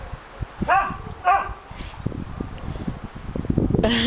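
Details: Pet dog barking in a garden while scratching her head and back on bushes; two short harmonic barks, then a sharper higher yelp at the end, over rustling and handling noise.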